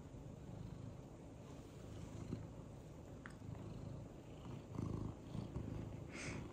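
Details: Contented male house cat purring, happy and tilting his head; continuous deep, throbbing purr rising and falling in loudness, with a few small clicks and a brief higher noise near the end.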